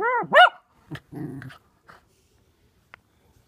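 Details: Brody, a six-month-old Miniature Poodle puppy, during a peek-a-boo game: two quick arching whiny yips open, followed by a brief low growl and a few faint clicks.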